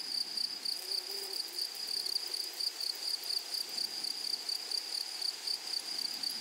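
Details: Grasshoppers in flowery prairie grass give a piercing high buzz that swells and fades in quick rhythmic bursts, roughly three per second. A soft low tone is briefly audible early on.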